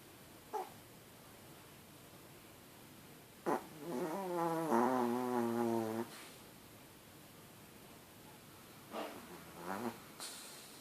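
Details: Pet Chihuahua Blackie asleep: one long, buzzy, tonal snore of about two seconds, bracketed by a few short clicks and soft snuffles in a quiet indoor room.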